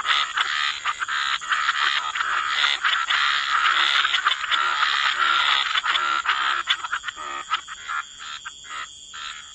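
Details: Wetland frog chorus at the water's edge: many croaks overlap into a continuous rattling wash, rapid pulses around four per second, thinning into separate bursts near the end, over a constant high hiss.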